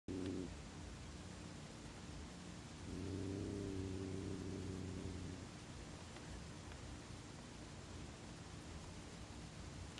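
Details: Hazel, a female cat, growling at her brother Lenny, a cat she suddenly turned against after two years of relative peace; a low, droning growl comes in a short burst at the start, then a longer one lasting about two seconds.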